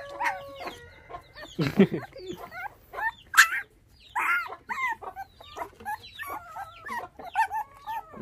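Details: Five bottle-fed puppies whose mother was taken by dog thieves when they were six days old; high, wavering harmonic whines and squeaks overlap in short bursts, with a louder broadband yelp near two seconds.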